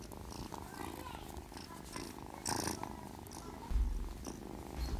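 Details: Sleeping kitten Witty purring steadily, a low pulsing rumble running the whole stretch, broken by a few brief bursts of rustling noise.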